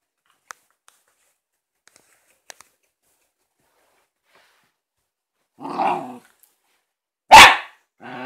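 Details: Shiba Inu named Momo barking at her new ball: quiet ticks early, then a short muffled yap near six seconds and one sharp, loud broadband bark just after seven seconds, another starting at the end.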